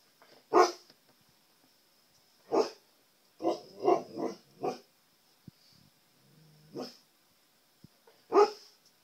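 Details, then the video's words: Siberian Husky indoors barking at his own reflection in a TV, trying to communicate with himself; sharp broadband barks spaced irregularly, a quick cluster of four in the middle, with a faint steady high electronic whine throughout. "Husky sees his reflection"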